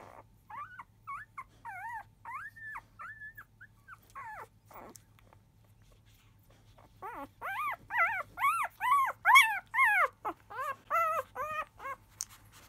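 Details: Five-day-old field-type Labrador Retriever puppies of biscuit, 2017 JFA Grand Champion, fussing loudly as nursing begins just after 1 pm. High, arched, harmonic squeals come in rapid series, starting softer and then growing louder and denser.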